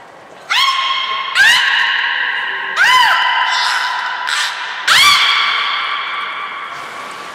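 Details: Captive belugas Hodoi, Gray and Mirai during a training session at Port of Nagoya Public Aquarium, 1 December 2019: four loud, sustained, harmonic-rich tones, each opening with a sharp bent onset and holding steady for about a second, in echoing surroundings.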